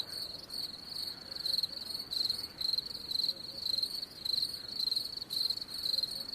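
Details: Continuous high, ringing cricket chirping: rapid pulsed bursts roughly twice per second, fading slightly in and out in strength, over a faint low-level hiss.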